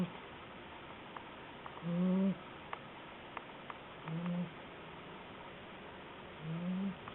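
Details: Hotaru, a 60-day-old guide dog candidate puppy, snores while asleep: three low, rough, droning breaths spaced a little over two seconds apart, with faint clicks and a quiet indoor hum between them.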